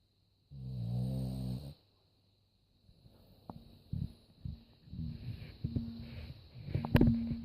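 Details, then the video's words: A sleeping dog snores with one long, buzzy, harmonic rasp of about a second, then a pause followed by softer, irregular snuffles and clicks of uneven loudness in a small indoor space. "Funny Snoring Dog Compilation"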